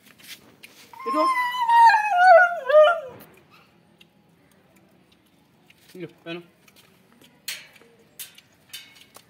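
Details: Kittu, a female Siberian Husky pet, gives an excited, wavering howl-whine with strong harmonics, falling and wobbling over about two seconds, as she is fitted with a collar for an outing; a woman's voice speaks afterwards indoors.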